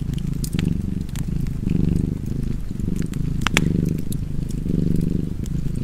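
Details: Cat purr, deep and continuous, pulsing with each inhale and exhale about once per second while a fireplace snaps and crackles in the background.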